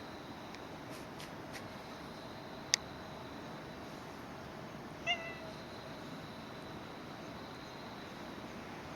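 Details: Stray or community cat recorded sometime between summer 2016 and winter 2017, giving a single short harmonic meow midway through, over steady background hiss with a few faint clicks and one sharp tap early on.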